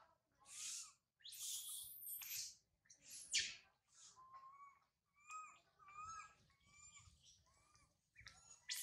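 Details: Young monkey Sario wails loudly up a tall tree after her mother Sarah leaves her. Several harsh screams give way to a run of short, rising, tonal coos, with a faint low rumble beneath.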